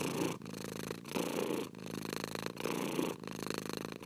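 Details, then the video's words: Continuous cat purr with a buzzy low rumble, inhale and exhale phrases alternating about every 0.7 seconds with short pauses between them. "24 HOURS OF PURRING CAT"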